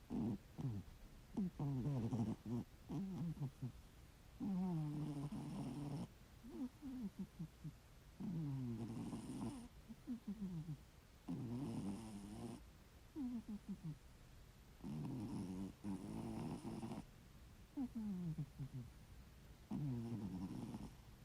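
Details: Loud snoring from a ginger tabby domestic cat: low, rough, harmonic rasps in bursts about every three to four seconds, some with a brief hissing breath on top, and quiet pauses between.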